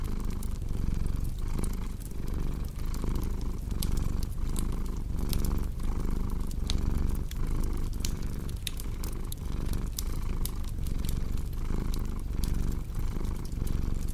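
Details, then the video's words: Relaxed house cat purring without pause, a soft throbbing rumble rising and falling in even breaths about every 0.7 seconds, layered with constant snapping, crackling firewood. "Purring Cat with Cozy Crackling Fireplace Sound"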